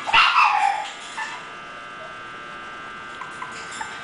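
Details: English Bulldog puppies: a loud, high yelping bark burst in the first second, then quieter scattered yips over a faint steady background hum.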